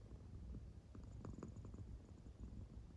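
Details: Quiet purring from an American Shorthair cat in deep sleep; a faint low rumble with a brief stronger pulsing patch in the middle, otherwise soft and even.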